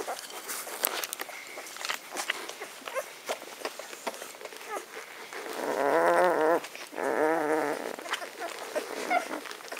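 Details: Magyar Vizsla puppies aged ten days, B litter vom Elsterhaus, recorded 23 May 2015. Scattered clicks and rustling lead into two loud, wavering, harmonic wails about six and seven seconds in, each lasting under a second, then fading back to shuffling.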